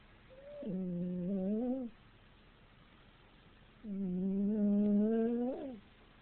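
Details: Wilson, a pet dog, snoring loudly while dreaming: two long, droning nasal tones at a steady low pitch, each bending upward at the end, about two seconds apart, in a quiet indoor room.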